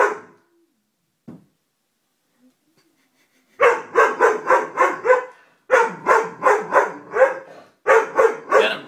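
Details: Doberman dog barking: after a near-silent opening, three rapid bursts of sharp, deep barks follow, about fifteen in all, each burst of four to six barks delivered roughly three per second.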